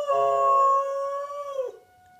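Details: Pet dog howling in response to a siren indoors: one sustained, steady, tonal howl lasting about a second and a half, dropping in pitch at the end before fading.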